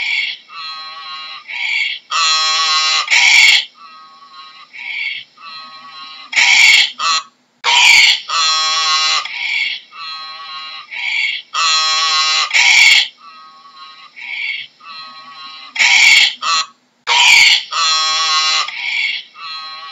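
A donkey brays in a harsh, sawing rhythm, alternating high wheezing notes with louder, rougher blasts.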